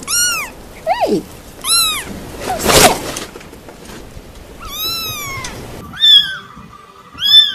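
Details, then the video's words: Kittens meowing with arched, rising-then-falling cries, one sliding downward steeply, mixed with background rustling and a loud noise burst midway, then sharper higher meows at the end. "Cat meowing Cute Cat Kittens Meowing"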